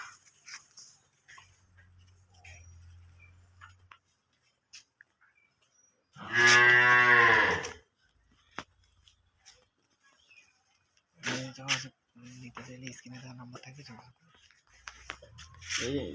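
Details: Holstein Friesian cow on a farm in Setabganj, Dinajpur, Bangladesh, offered for sale: one loud drawn-out moo of about a second and a half midway, with quieter clatter, a low hum and a short later lowing.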